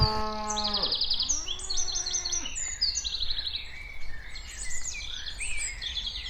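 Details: A cow walking around gives a drawn-out harmonic moo that drops in pitch at the end, with birds chirping throughout.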